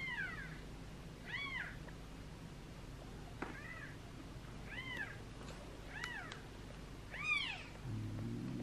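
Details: Tiny two-day-old kittens from a seven-kitten litter being fed: a run of six faint, high, bowed meows at fairly even spacing over a hissy background, with a low hum at the end.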